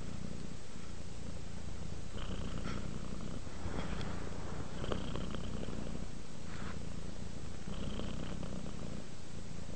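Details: Sleeping cat relaxing and purring continuously, a deep buzzing rumble with soft airy surges every two to three seconds marking each breath cycle, no other sounds.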